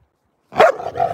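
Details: Giant Alaskan Malamute puppy indoors during play gives one loud, short bark that drops into a brief, lower, wavering yelp, close to the microphone.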